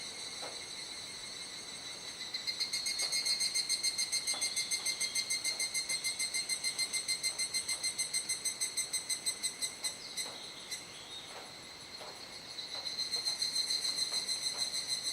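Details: Great chorus of cicadas at dusk, Kuji, Iwate, Japan, 17 July during the rainy season: a loud pulsing buzz starts after two seconds, throbbing about three times a second, dips around twelve seconds, then surges back.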